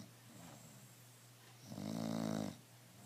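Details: Relaxed, stress-free bulldog named Emma snoring: a quiet start, then one long, throaty, rattling snore lasting under a second, with a faint constant hum beneath.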